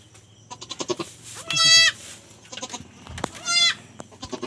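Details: . Newly born goat kid on a backyard farm, giving two loud, strained bleats about two seconds apart, each near half a second long with a rich stack of harmonics. Shorter clicks and bumps sit between them, and a man's speech follows.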